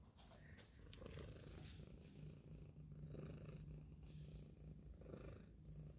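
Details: Domestic cat purring steadily, a low rumbling drone throughout, with breathy hiss and scattered brighter noises over it.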